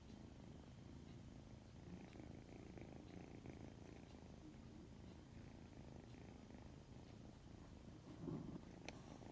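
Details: Odd-eyed white kitten, yawning widely, keeps up a continuous deep purr of fast, even pulses, with a brief louder rustle near the end.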